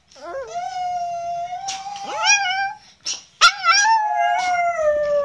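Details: Chihuahua 'singing' its vocal exercises: a rising yelp slides into a long steady howl, then a swooping upward note and a final sustained harmonic-rich howl.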